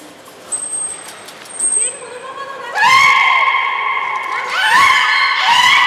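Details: Young belugas of the juvenile team at Port of Nagoya Public Aquarium, 5 November 2017, playing during a pool transfer: a thin high whistle, then loud harmonic squealing calls that rise sharply and hold, repeated in bursts.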